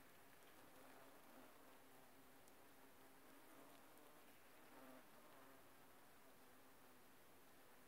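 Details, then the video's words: Bumblebees working aconite flowers give a low, steady droning buzz with a layered hum that holds throughout, half-buried under a constant broadband hiss with faint crackles. "Шмели окучивают Аконит"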